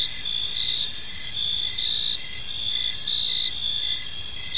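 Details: Crickets in a park as evening falls, producing an unbroken high shimmering trill with several pitch layers and faint pulsed chirps slightly lower, with steady loudness and nothing else clearly audible.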